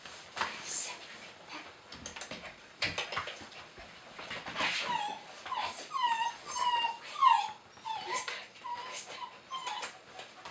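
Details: Border Collie puppies from the long-awaited litter "C" of a kennel, indoors: high, downward-gliding whimpers come in a quick run of several near the end, over people talking in Russian and rustling handling noise.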